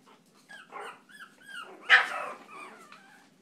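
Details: Chihuahua indoors giving thin, bending whines that build to one sharp, loud yap about halfway through, then tail off into softer whimpering squeals.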